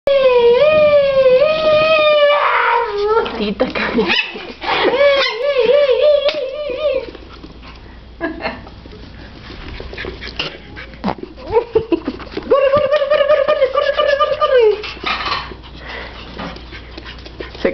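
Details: Three pet Chihuahuas playing and chasing each other around an indoor living room; drawn-out, wavering howl-like whines held for two to three seconds, rising and falling, come in three bursts while a person keeps calling out encouragement to run.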